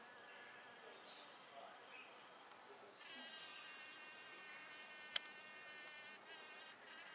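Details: Blue-banded bee visiting garden flowers in a Mt Gravatt backyard, giving a thin, steady, high buzzing hum that grows stronger after about three seconds, with one sharp click midway.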